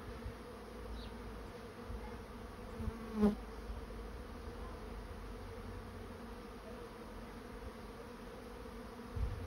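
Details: Swarm of honey bees entering a swarm trap: a continuous low droning hum that holds steady throughout, broken once by a short sharp knock.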